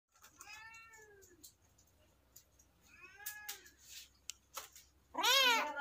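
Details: A kitten meows in a quiet room: two arched harmonic meows, then a sharp, loud, high-pitched squealing meow at the end, with faint clicks and rustles between.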